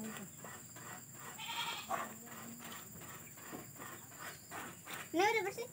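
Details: Goat at an animal pen by a grandmother's house in a village, set in a garden amid forest where cows and goats are kept; one short wavering bleat near the end over steady hiss and faint voices.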